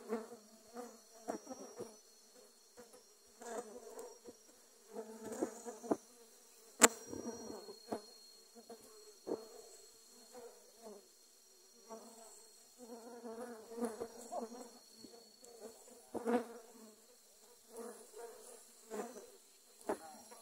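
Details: Dwarf honey bees mobbing a camera after being disturbed while grass was cut: a long, even, low-pitched droning buzz with rising and falling swells and many brief crackles and taps.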